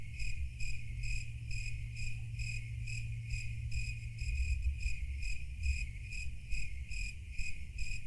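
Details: Steady series of sharp, high cricket chirps, roughly two to three per second and very regular, set against a low continuous rumble and faint background noise.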